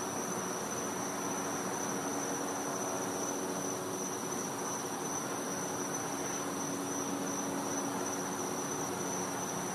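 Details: Night-time cicada sound recorded in a back yard in Florida during winter: a sustained shrill tone, unwavering in pitch, persists throughout, partly veiled by constant noisy hiss and a faint low murmur.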